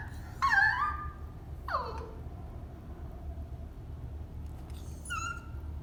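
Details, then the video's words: Cavalier King Charles Spaniel in its cage at bedtime, wanting to come out, half yawning and whining: a wavering high whine, then a falling whimper, and a short thin whine near the end, over a low steady background hum. "Cavalier King Charles spaniel cute whining sound"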